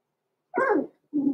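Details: Six-week-old blenheim Cavalier King Charles Spaniel puppies in an indoor puppy pen, born November 14, 2022; a loud single yappy bark with a falling tone, then a short low growl-like follow-up after a brief silence.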